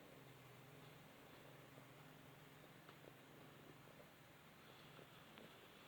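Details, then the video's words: Balinese cat purring while cuddling in the sun, a soft low steady rumble with faint background hiss. "the Balinese Cat Cuddling in the Sun"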